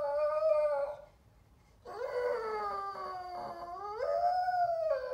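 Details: Lizzie, a female Staffordshire Bull Terrier x Rhodesian Ridgeback rescue dog born 2012, sings in long, wavering howls on the sofa, likely wanting something and trying to attract her owner's attention; possibly heading toward the fridge.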